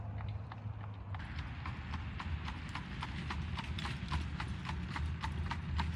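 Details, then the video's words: Clip-clop of a horse drawing an Amish buggy, Lancaster, Pennsylvania, autumn 2025; the hoof strikes start softly, then turn sharp and rapid, steadily repeating against a constant low hum of traffic. "Just the sound of it! Horse & Buggies"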